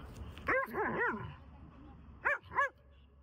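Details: Borzoi barking outdoors in autumn, rolling in the grass: three quick harmonic barks around half a second to one second, a pause, then two more sharp barks near two and a half seconds, with a faint low background hum.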